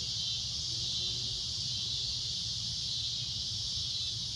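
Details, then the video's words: Cicada producing a loud shrill drone at sunset, a constant high buzz lasting the whole stretch, with a few faint lower tones and soft rumble underneath. "Cicada A Loud Shrill Droning Noise"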